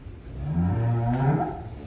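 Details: Giant cattle at a large cattle barn in Wonosobo, Indonesia, where one animal weighs 1.3 tons: a single deep, drawn-out moo lasting about a second, with rich low harmonics, and faint background noise.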